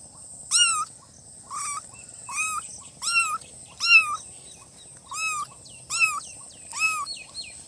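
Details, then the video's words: Newborn kittens crying in a quick series of about eight thin, bending meows, some overlapping faintly, under a continuous high faint hiss. "Kitten meowing"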